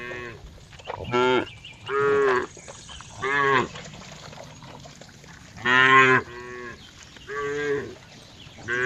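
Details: Repeated brief cow moos, six or so bursts roughly a second apart, tonal and harmonic, some rising slightly, with faint background noise between calls.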